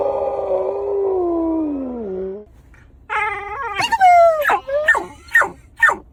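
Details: Pet dog whose bark is considered weird and unusual: a long, falling, howl-like tone for about two seconds, then a pause and a run of sharp, yelping barks with downward-sweeping pitch, roughly five in quick succession.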